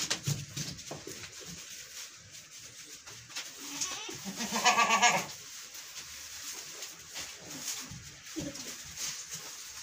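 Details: Goat being milked lets out a single quavering, nasal bleat lasting about a second midway through, surrounded by scattered clicks, knocks and low handling noises.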